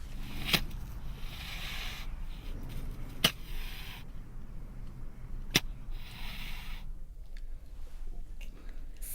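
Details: Low rumbling background noise with a few sharp clicks and broadband hiss bursts, no animal voices.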